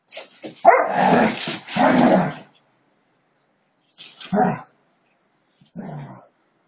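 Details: Husky dogs play-fighting in a friendly scuffle: a loud burst of harsh growling and barks lasting about two seconds, then two shorter snarling bursts after a pause.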